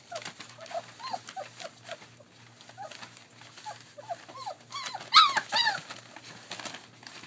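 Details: Three-week-old German Shepherd Dog puppies at play on a rural 40-acre property in Mayo, Florida, giving a rapid run of short, high, upward-curling whimpers and squeaks, several each second, ending in louder squealing yelps.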